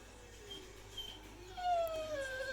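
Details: Pet Pit Bull named Zeusy "talking" back to its owner while hearing about a groomer appointment and bath: faint thin whines at first, then a louder falling whine that slides downward to the end, over soft household hum.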